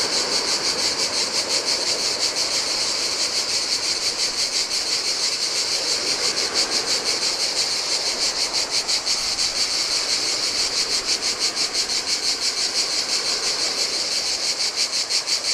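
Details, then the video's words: Heat-loving cicadas sing by the Adriatic sea on a Greek island's empty beach, their loud buzzing chorus throbbing evenly several times per second while waves wash softly over the sand. "Cicadas by the Sea - Ocean Waves & Cicada Sounds"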